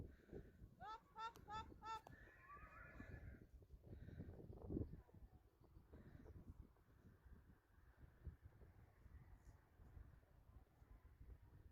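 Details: Friesian horses being moved to pasture to join the rest of the herd, recorded April 20, 2019; one brief shaky whinny with stacked tones near the start, then low rumbling hoof and wind noise with faint voices.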